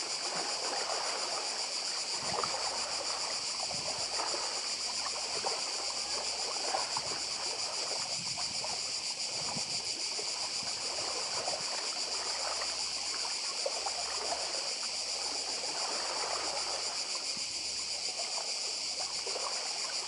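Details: A cicada chorus by the sea on Badija island in Croatia: an unchanging high sizzling tone runs throughout, backed by lapping water and scattered splashes.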